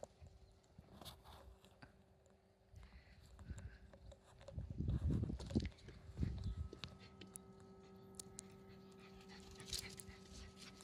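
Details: Black Shiba Inu puppy and parent, Leo and Koharu, playing at full speed: rough breathy panting and scuffling bursts that swell loudest around the middle, over a steady low electrical hum.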